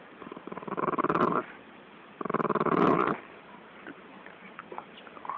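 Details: Bulldog attacking a snake, giving two rough, pulsing growls of about a second each, separated by a short pause, followed by faint scattered rustling and clicks.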